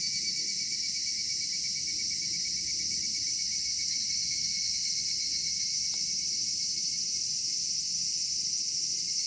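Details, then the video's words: Cicadas singing on a summer evening in a cedar forest in Japan: a dense, steady high-pitched shrill drone without pause, layered bands of buzzing, with a faint low rumble beneath and one brief click midway. "夏夕暮れ杉林 セミの鳴き声"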